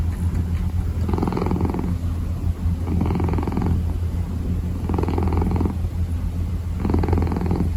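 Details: Close purring of a kitten kneading, a continuous deep drone with four rhythmic brighter pulses spaced roughly two seconds apart, matching its breathing, no other sounds.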